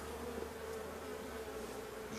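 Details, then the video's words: Drone-laying honey bee hive, with the beekeeper about to shake the frames some distance away and smoke the bees; constant dense buzzing hum with a steady low tone and a faint rustle near the end. "Ruche bourdonneuse"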